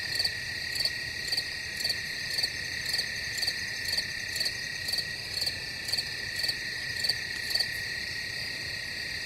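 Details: Many crickets calling together, a constant high-pitched ringing hum punctuated by quick, regular chirps near twice per second, even and unchanging.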